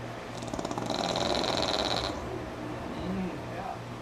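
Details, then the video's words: Pug named Sammi, asleep during NASCAR, lets out one sustained vibrating snore with a rattling buzz for just over a second, then quieter breathing under ongoing television sound and low hum. "Pug Snore Monster"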